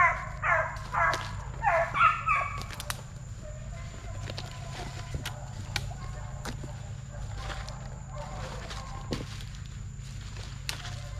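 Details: Young Plott Tan hounds, a Plott Hound crossed with a Black and Tan Coonhound, raised at TTG Kennels, aged 8 weeks to 5 months; a quick run of short, harmonic, wavering bays in the first two seconds, then low hum and scattered clicks.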